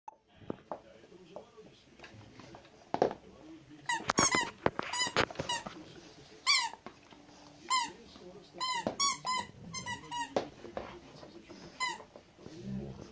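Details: Zhenya, a pet Rottweiler indoors, gives high squeaky whines: short harmonic yelps that bend downward, coming in irregular bursts, some in quick runs of three or four, with human speech and room noises in between.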